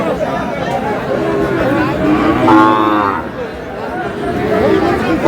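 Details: Sahiwal breed cattle traded at a Bangladeshi market, buyer from Sylhet, 11 July: a short harmonic bawl near the middle rises above continuous crowd noise and men haggling.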